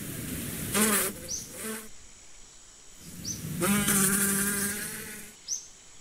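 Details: Two passes of bee buzzing, each a full humming drone of about one to one and a half seconds, the second longer and steadier; soft high bird chirps in between.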